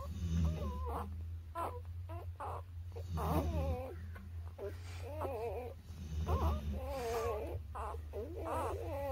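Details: Repeated squeaky mewling from newborn puppies aged birth to three weeks: short quavering cries roughly every second or two, some overlapping, with soft snuffles and a low background hum throughout.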